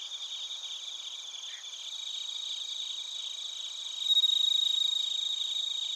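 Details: A cricket chorus with bell crickets in Narita, Chiba, Japan, recorded on a TASCAM Portacapture X8. A continuous shrill trill of quick pulses stays fairly even, then grows louder and brighter after about four seconds.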